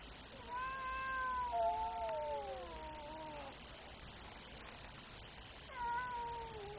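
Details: Very angry cat letting out a three-second yowl that sags gradually in pitch, a pause, then a second shorter yowl starting.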